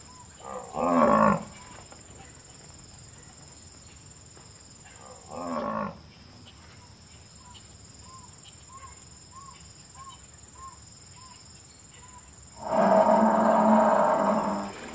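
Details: Buffalo in the wild, savannah habitat: three loud, low, harsh bellows, two short near the start and a long drawn-out one of about two seconds at the end, with a bird's short repeated notes between and a steady high insect hum behind.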